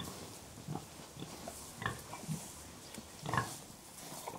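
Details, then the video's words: Soft, low grunts of contented pigs, a handful of short muffled pulses spaced unevenly, quiet and close against a steady hiss. "Harmonious Grunts: Pigs in Serene Conversation"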